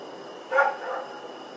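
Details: A single loud, short bark from Rex, a dog roaming at night in Pyrga, recorded October 7, 2018. Steady faint high-pitched tones hang in the background.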